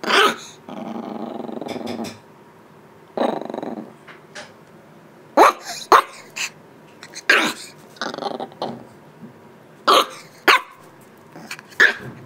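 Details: Shiba Inu puppy, eight weeks old, barking at its calm mother to show who is boss: sharp high yaps in irregular clusters alternating with longer rough growls, indoors.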